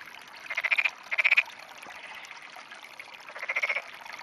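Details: Frogs in a rice paddy beside a loach, on a clear morning, 19 June 2009. Rapid pulsed, rattling croaks in three short bursts of about half a second each, over a faint background chorus.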